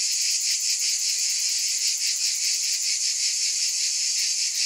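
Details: Cicadas droning in an unbroken high-pitched chorus, the buzz throbbing gently about two to three times a second.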